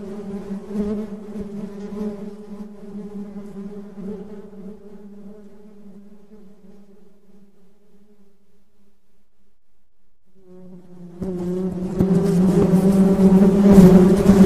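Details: Honey bees buzzing in a steady low drone with stacked overtones, fading gradually to near silence around the ninth second, then returning abruptly and much louder with a rough, crackling texture.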